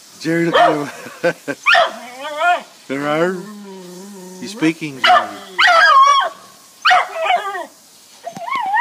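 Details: Jack Russell terrier x beagle dog getting excited at a beagle down the road: a string of sharp yelps, wavering howled bays and short barks, with a person talking to the dog in between.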